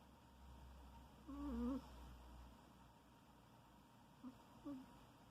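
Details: Domestic cat snoring indoors: one drawn-out, whistly tonal snore over a low rumble, wavering slightly in pitch, then two short faint snorts near the end.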